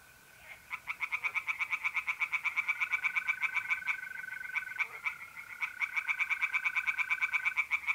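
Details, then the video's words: In mid-April darkness at a North-East Italian pond, tree frogs give long series of rapid, crisp croaks, briefly interrupted midway, layered over the even, sustained trilling of mole crickets. "relaxing singing tree frogs in pond and trilling mole crickets by night"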